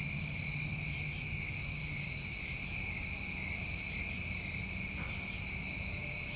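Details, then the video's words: New England summertime crickets in a steady, dense chorus of shrill continuous trilling at several high pitches, with occasional brief, very high buzzy bursts rising above the drone. "Tinnitus Masking With Crickets"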